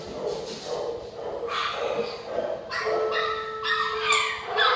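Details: Joey and Penny, a pair of dogs, bark at distractions in a lively indoor scene; soft voices come first, then a run of sharp, ringing barks with one drawn-out whine-like tone in the second half.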